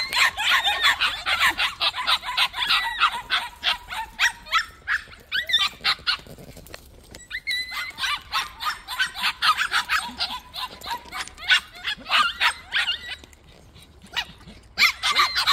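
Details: White puppies in a plum orchard keep up fast, overlapping high yips, dense at first, thinning midway, then rising again toward the end.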